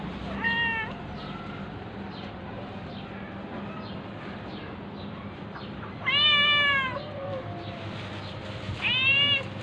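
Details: Amid a tabby cat attacking a ginger cat, a few arched meows with long quiet gaps between them, two clear ones near the end, over steady low hum and faint noise.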